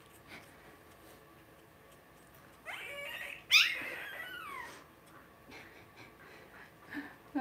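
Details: Two-week-old blenheim Cavalier King Charles Spaniel puppies, a litter of five born to Paris and Spike at New Year, in a home puppy pen; thin, high squeaky whimpers and one sharp squeal mid-clip, then faint scattered yips.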